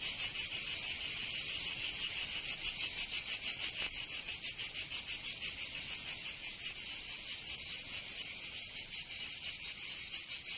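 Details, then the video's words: Cicadas in summer in Provence, southern France, produce a high, rasping buzz of rapid pulses that loosen and grow uneven toward the end, with a faint click midway. "Canto Cigarra 🦗 [ Escuchar les cigarras en verano 10 H] 🦗 Sonido de la Naturaleza"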